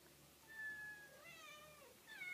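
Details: Domestic cat meowing in a short clip: two drawn-out, gently wavering tonal meows with stacked harmonics, the second rising then falling, over faint room hiss.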